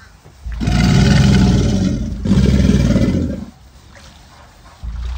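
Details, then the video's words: Mating-season alligator bellow, a very low, throaty, vibrating roar delivered in two long bursts, the first about two seconds and the second just over one, separated by a brief catch, followed by quiet and a fresh onset. "What does an alligator sound like?"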